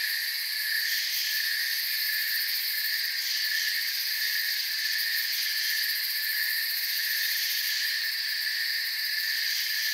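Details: A night forest chorus of crickets: soft, continuous high-pitched chirping in several steady layers that hold evenly throughout, with no birds, wind or voices.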